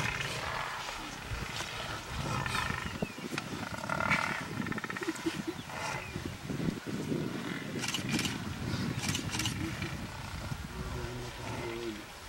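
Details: Lions clashing with buffalo give deep, rumbling growls layered with rough snarls, while thuds and scraping from the struggle fill the background without pause.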